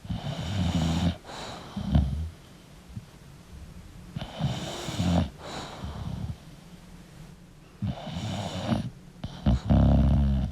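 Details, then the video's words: An English bulldog asleep, producing low gurgling snores with a steady hum between them, loud snorts near the start and end, and wheezy breathing throughout. "English Bulldog Sleeping & Snoring Sound"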